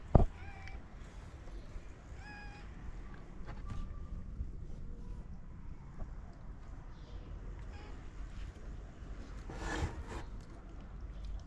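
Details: Stray mother cat in Morocco meowing gently to ask for food while her kittens sleep; a few soft, short, tonal meows spaced seconds apart, faint over a steady low rumble of background noise.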